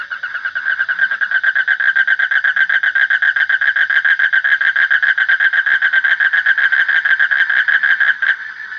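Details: Frog giving a continuous run of fast, evenly pulsed croaks with a bright, ringing harmonic tone. It fades in at the start and stops shortly before the end, with nothing else clearly heard.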